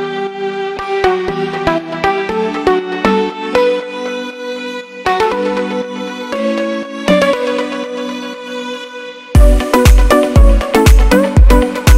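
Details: Electronic music only: a plucked melody over sustained chords, then a heavy pulsing beat after nine seconds, with no animal voice.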